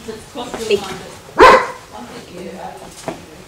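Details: Female German Shepherd during obedience training, responding to spoken commands and hand signs; one loud, sharp bark mid-clip, surrounded by the handler's talk and soft background music.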